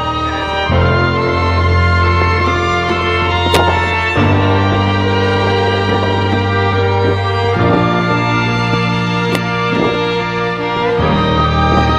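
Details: Continuous orchestral music with sustained string chords fills the whole stretch, and no animal sound comes through.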